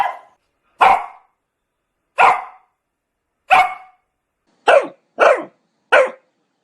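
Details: A dog barks loudly: seven separate, sharp barks, first spaced over a second apart, then coming faster in a closing trio, with silence between them.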